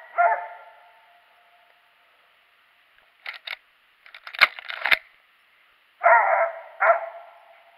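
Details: Daisy, a hunting dog, out squirrel hunting on January 21, 2018, gives three loud harsh barks, one at the start and two close together near the end, with scattered clatter and sharp knocks in between.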